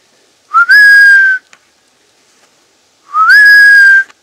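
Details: In the woods around Poitiers, 3 km from Futuroscope, France, a roe deer gives two clear, whistled calls that rise briefly and then hold steady, a few seconds apart.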